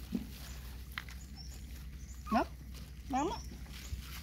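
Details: Puppies whimpering while being fed: two short, wavering whines that rise and fall, about a second apart, over a low steady hum, with people talking in Vietnamese nearby.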